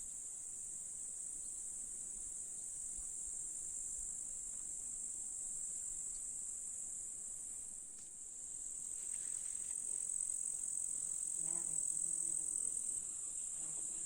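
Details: Grasshoppers in a July summer meadow in the Russian countryside, near flowers, hills and a lake, keep up a steady, high, hissing buzz. Finding: grasshopper.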